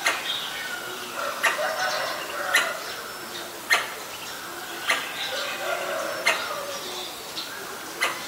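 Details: Alarm calls of a Pallas's squirrel (Callosciurus erythraeus) reacting to danger, Ubon Ratchathani, Thailand, 1 January 2023, Nikon P1000: hard clicking barks at uneven gaps of about a second, with fainter chirps and background calls beneath.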